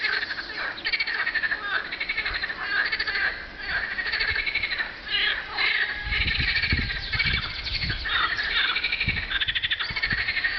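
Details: Many frogs calling together on a hot spring day, 24 April 2012: dense overlapping rattling trills, mid to high pitched, pulse continuously; low thumping rumbles, like wind or handling noise, break in during the second half.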